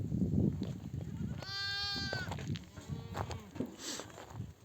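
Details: Nomadic flock back from grazing, a mother sheep calling her lambs to suckle: a loud quavering bleat lasting nearly a second, then a fainter shorter bleat, against a low murmur of moving animals.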